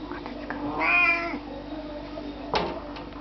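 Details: An Oriental cat yawns aloud, a single drawn-out, harmonic, whining note lasting about half a second that swells and then falls away, followed by a short sharp sound and a quiet indoor background.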